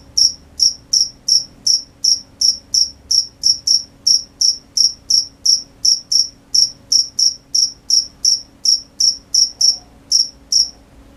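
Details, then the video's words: Crickets at night: sharp, high, ringing chirps repeated steadily, about two to three per second, with brief irregular gaps near the end; otherwise quiet with a faint low hum. "The sound of crickets at night"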